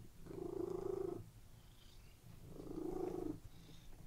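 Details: Relaxed domestic cat lying on a bed and purring; two long, smooth purr phrases with a quiet breath-in gap between them.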